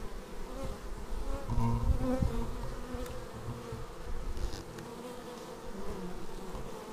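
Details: Bees landing at their beehive, action-camera footage: thick, even droning buzz of a crowd of bees, a fuller, louder stretch near two seconds as one passes close, fading to a softer steady hum.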